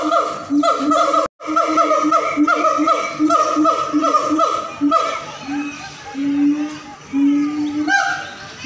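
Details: Siamangs (Symphalangus syndactylus) at a zoo in Central Park, North Sumatra, howl in loud, rapidly repeated whooping calls with strong harmonic bands and rising, barking notes.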